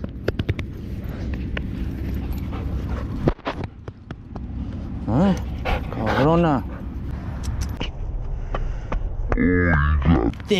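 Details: Dogs fighting at a dog park, a territorial pit bull attacking a Belgian Malinois; sharp rising-and-falling yelps and whimpers break out twice amid low rumbling noise and people talking.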